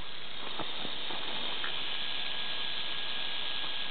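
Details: Healthy wild eastern diamondback rattlesnake found in the South Florida wilderness during a python search, shaking its rattle: a steady, dry, high hiss-like buzz held throughout, with a few faint clicks early on.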